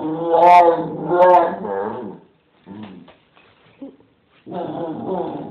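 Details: Bella, a nine-month-old female AKC Bull Terrier, gives drawn-out, wavering, moaning vocalizations in a small room.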